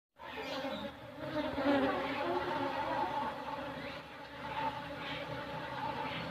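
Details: Rumbling hum of a kept colony of Asian honey bees, Apis cerana, raised for honey in Indonesia. A dense, steady, droning buzz with layered low tones swells and fades slightly throughout, with no pauses and no other clear sounds.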